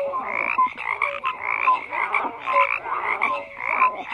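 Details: Frogs croaking in a dense chorus, overlapping rasping croaks pulsing roughly every half second, with short whistled upslurred notes and clipped tonal chirps woven through the steady racket.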